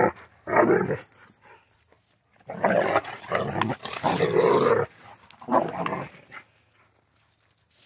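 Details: Central Asian Shepherd dog named Safarik in Michigan gives four rough, rumbling growl-like bursts, each under a second, separated by short silences, with the owner's voice calling his name nearby.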